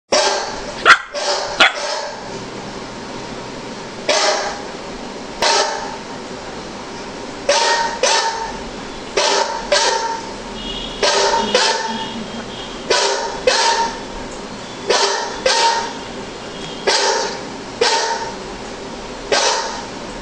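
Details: A Golden Retriever barks at a dog on a computer screen in short, loud bursts, repeated about every second or two.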